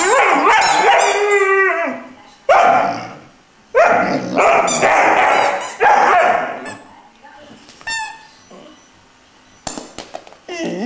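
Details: Young Irish Wolfhound Glor na Gael Iarla, aged three months, singing in repeated bursts of wavering howls and yips, roughly every second or two, quieter squeaky notes and faint human voice toward the end.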